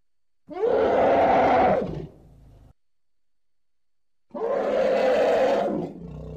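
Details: Baby elephant playing with its surroundings gives two long, loud, harmonic hoots, each about one and a half seconds, with a quiet pause between them.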